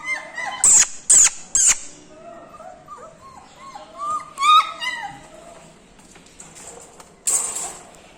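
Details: Puppies held for sale in India on 7 December 2020; short, high, rising and falling yelps and whines overlap in a busy chorus, punctuated by sharp clicking knocks.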